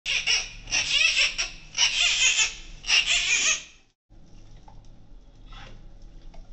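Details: Newborn giant panda cub, born to Wu Wen on the evening of Friday 12 July 2024 at Ouwehands Dierenpark, in the birthing den; loud harsh squeals in rapid bursts for about three seconds, then a pause and faint quieter sounds.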